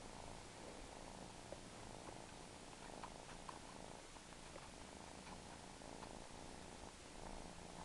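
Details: Steady, fast-throbbing purring from a suckling house cat runs unbroken throughout, even in volume, with occasional light clicks and soft smacking sounds over the rumble.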